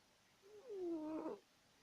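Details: Domestic cat asleep and snoring loudly indoors: one drawn-out nasal, tonal breath lasting about a second, rising slightly and then sliding down, with a quiet room behind.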